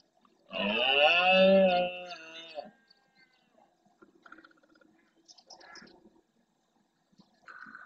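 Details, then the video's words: Red deer stag rutting at dawn in the Doñana National Park marsh, Andalusia, Spain, near the Francisco Bernis centre, with females and young of his herd. He courts the females and roars to warn rival males off his territory and harem. One loud, deep, harmonic roar rises and falls for about a second and a half. Fainter grunting and scattered bird calls follow. "Berrea al amanecer"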